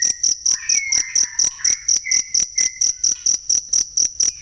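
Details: A cricket used as a model for training songbirds gives high, rasping chirps about four to five a second, steady throughout, over faint wavering whistles in the middle.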